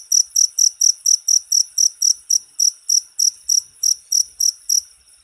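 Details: Cricket chirping in a short recording meant for tutoring songbirds: high, dry pulsed chirps repeated about four times a second in a steady train, with no other sounds.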